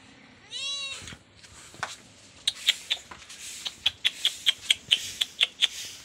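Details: Baby cat romping with a black goat at a hut: a single short, high meow early on, then a quick, fairly regular series of sharp clicks or taps dominates the rest.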